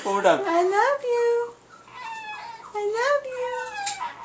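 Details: Indoor pet Chihuahua named Paco vocalising his "I love you" phrase: two tuneful, whining howls, each sliding up and then down in pitch with a short pause between, and quiet human voices around.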